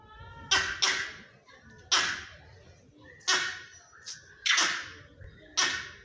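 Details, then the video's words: An older male vervet monkey on a house rooftop gives harsh, explosive bark-like bursts, roughly one a second, calling out to another monkey, perhaps for a mate, while a younger monkey tries to copy the calls. "🐒 BLUE-BALLED MONKEY calls out to mate on rooftop"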